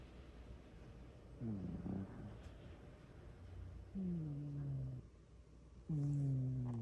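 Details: Sleeping cat snoring loudly indoors: low, droning, harmonic snores, each lasting about a second with a slight downward slide in pitch, coming roughly every two seconds after a quiet start.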